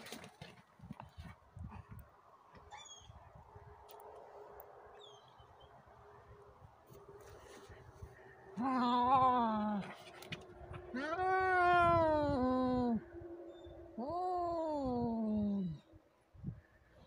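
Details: Fighting cats trade three long, moaning yowls, each sliding slowly downward in pitch and lasting one to two seconds, after a stretch of quieter rustling background.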